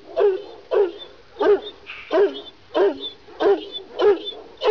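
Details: Repeated deep, hoarse barks from a Kangal Kurdish shepherd dog of Sivas, seven evenly spaced woofs at about one every 0.65 seconds, with a brief human sound in between.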